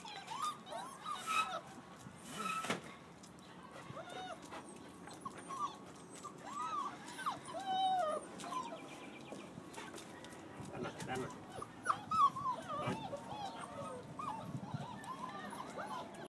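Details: Six-week-old Doberman Pinscher puppies, male and female, giving thin high whimpers and squeaky rising-falling cries, scattered and overlapping through the recording, with soft rustling and a few sharp knocks in the background.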